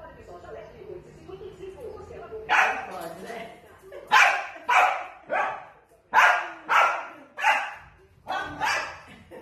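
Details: Sausage dog barking repeatedly, loud harsh yaps in quick pairs about every second or two, after a softer stretch of murmuring voices at the start.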